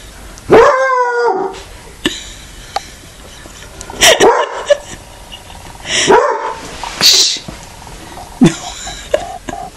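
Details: Stiltz, a Walker hound, giving a first howl: a drawn-out, harmonic-rich yowl near the start, then shorter bark-like bursts around four, six, seven and eight and a half seconds in a quiet room.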